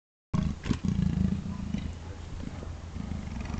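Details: Two Amur leopards making intimidating noises, a deep rough rumbling growl with pulsed roughness, loud at first then fading over about three seconds.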